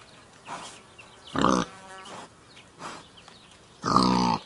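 A wild boar gives two loud, harsh grunts with quieter snorting breaths between them.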